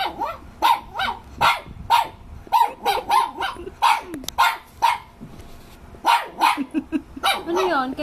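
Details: A male Shih Tzu dog yaps repeatedly at his own reflection, a fast run of short high barks in bursts with brief pauses. A person talks quietly in Tagalog between the barks.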